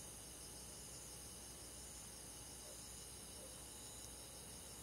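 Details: On a summer night in the countryside, crickets and forest bugs trill steadily together, a faint, constant high shimmer spread over layered pitch bands, with soft background hiss.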